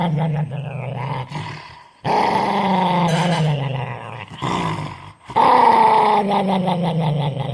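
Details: Dog described as angry produces near-continuous rough growling: harmonic, gravelly sounds lasting two to three seconds, dipping downward in pitch, broken by two brief breaths.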